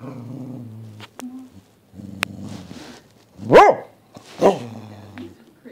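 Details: Female Dachshund being sassy shortly before being fed: low rumbling growls in three stretches of about a second each, broken by two sharp, higher yapping barks midway, with a brief human murmur.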